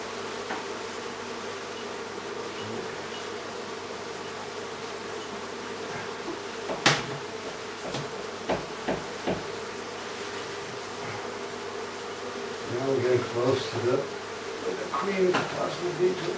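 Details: Bees from a hive inside a house in Aderet, being removed: a steady droning buzz underlies sharp knocks and tapping. The buzzing swells and grows more wavering toward the end.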